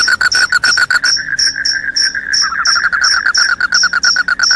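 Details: Short burst of loud cricket song: a fast buzzy trill under evenly spaced high, ringing chirps, the lower trill slowing into separate pulses toward the end.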